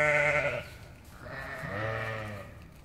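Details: Close, loud sheep bleats while playing with a Boxador puppy: a strong, harmonic baa that breaks off, then a second softer, wavering bleat rising and falling.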